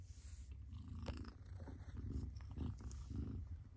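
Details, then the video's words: A mother cat's purr, a dense low vibrating rumble that rises and falls with each breath, plus faint light rustling. "Mother Cat Purrs"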